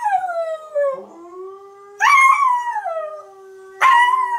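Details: Siberian Husky howling along while watching videos, drawn-out wavering howls sliding downward, each restarted by a sudden loud upward yowl about every two seconds, with a steady low tone underneath.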